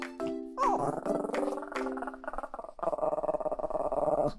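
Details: Chihuahua named Kohaku fussing and protesting as his mum prepares to go out; a wavering, falling whine followed by a pulsing, grumbling moan, heard over light background music.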